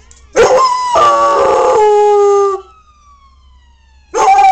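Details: Samson, a pet dog, howling at fire trucks passing last night: a loud harmonic howl of about two seconds, wavering then steadying, followed by a fading, falling siren tone and a second howl starting.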